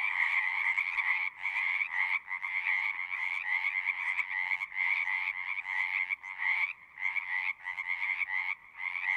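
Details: Pond frogs in a horse pasture singing in a pulsing chorus, trilled calls swelling and briefly dipping roughly every half second to second, giving a choppy, throbbing rhythm over the steady din.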